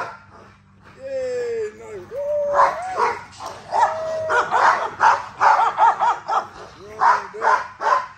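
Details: XL American Bully female being exercised: high, drawn-out whines at first, then loud, rough barks in uneven bursts, with low hum underneath.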